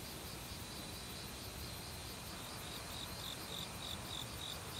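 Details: Autumn forest crickets among a chorus of insects: soft pulsing trill at first, then a series of clear, evenly spaced high chirps in the final two seconds, over steady rushing stream water.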